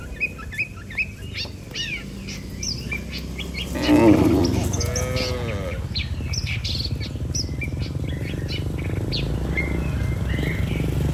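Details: Tame cattle in a herd of dozens returning calmly to the barn from pasture: one loud, arching moo about four seconds in, with busy bird chirping and twittering around it and a steady low rumble underneath.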